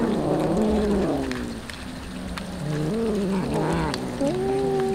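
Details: Hungry stray street cats being fed tuna, calling: long, wavering, whining meows that overlap and slide up and down, over steady background noise.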